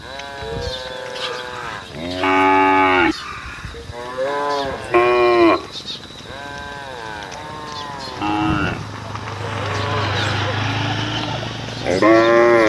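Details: Cows on a road lowing to call their herd: repeated loud, drawn-out harmonic moos, about six calls of varying pitch separated by short pauses, with a low droning hum in the background.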